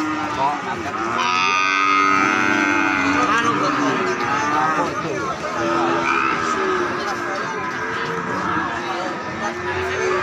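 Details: Calf mooing while a nose rope is fitted and the rope arranged, in Indonesia: long harmonic lowing calls, one strong moo near the start, over murmured voices.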